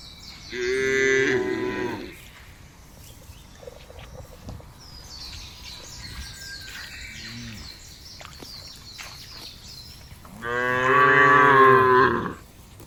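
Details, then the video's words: Cows mooing in a field: two long, loud harmonic moos about ten seconds apart, each roughly one and a half seconds, with birds chirping quietly between them. "FUNNY SOUND OF COWS IN THE FIELD..SUARA SAPI LUCU"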